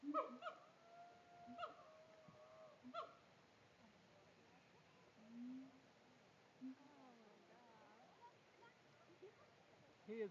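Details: Captive siamangs at Tampa Zoo: three sharp barking notes, each followed by a drawn-out tonal hoot, within the first three seconds. Lower, wavering hoots follow near the middle and a brief note at the end, over a faint background hiss.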